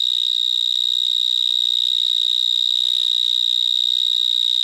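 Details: In a Gironde vineyard, a large Gryllotalpa vineae stridulates up close. Its continuous shrill tone holds an even pitch like an alarm, with overtones above and only slight crackling handling noise underneath.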